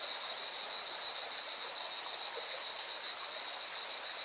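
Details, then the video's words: Singing cicadas and a rushing mountain river in Valencia, Spain: the water's broad roar is strong, with a continuous, rapidly throbbing high-pitched buzz from the insects running over it. "Певчие цикады и шум горной реки"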